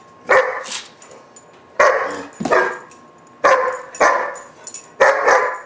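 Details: Tantrum barking from a roughly 4-5 month old German Shepherd puppy: loud, rough barks delivered in quick pairs, about seven in under six seconds, with quiet gaps between bursts.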